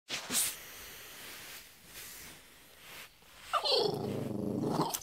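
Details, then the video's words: A female French Bulldog wanting to play gives a drawn-out, moaning grumble that wavers in pitch, after a few soft rustles. "Moo Moo the French Bulldog makes funny sounds"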